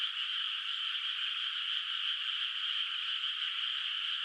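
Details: Frogs calling at night in a moonlit rice field, its water not yet planted with rice. Countless voices merge into a dense, steady, shimmering wall of sound, with no single call standing out and nothing else audible.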